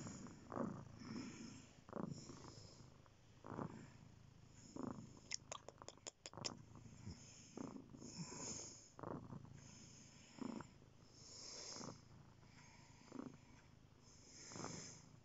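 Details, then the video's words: Cat purring softly, a low rumble rising with each breath about every one and a half seconds, interrupted midway by a quick series of sharp clicks. "Magic purring"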